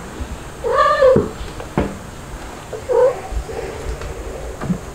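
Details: Kittens at play indoors, white dalmatian-spotted Stuart and black Lunar with mother cats; one drawn-out, falling meow lasting about half a second, then a sharp knock and a shorter, quieter mew, with room hum behind.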